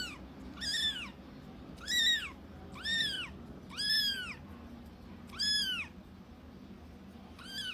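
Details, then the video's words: Small kitten giving a steady series of about seven short, high, arched meows that rise then fall, spaced roughly a second apart over faint background hiss. "صوت قطة صغيرة"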